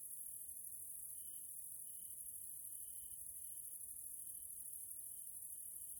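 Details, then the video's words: Grasshoppers calling in the evening in a Central European nature area in Hungary: dense, high, constant hiss with a string of short, even tonal beeps spaced under a second apart. "grasshoppers sounds in nature area Hungary Central Europe"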